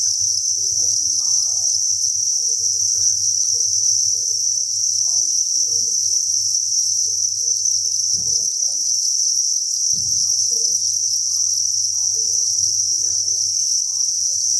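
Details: Thousands of crickets at a cricket farm breeding facility, chirping in a dense, continuous high-pitched chorus that never pauses, with faint low hum and scattered soft knocks beneath.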